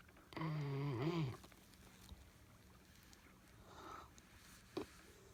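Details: Twelve-week-old Newfoundland puppy asleep in a kayak: one drawn-out, low, voiced groan lasting about a second that wavers and dips at its end, followed by quiet breathing and light water and boat noises.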